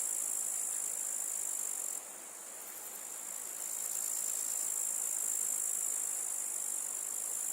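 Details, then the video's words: High, hissing grasshopper trill running throughout, briefly dropping in loudness after two seconds then returning, over broad rushing background noise. "The sounds of the grasshopper | How it chirps"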